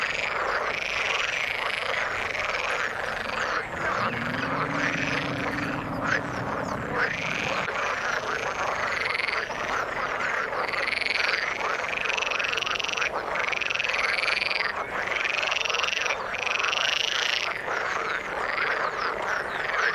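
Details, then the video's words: Croaking frogs in the water form a dense chorus with loud, regular higher calls repeated about once a second, plus a low humming drone from roughly four to seven seconds. "Frog sound in the water"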